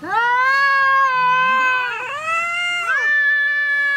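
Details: Angry female pet cat confronting the neighbour's tomcat, giving a continuous loud wailing caterwaul that wavers, dips near two and three seconds and swells again, strongly harmonic throughout.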